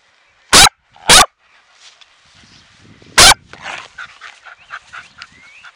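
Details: Xéna, a pet dog at play, barks after a ball is kicked, then grabs her toy: three short, sharp, loud barks, two in quick succession and a third after a two-second pause, with faint bird chirps behind.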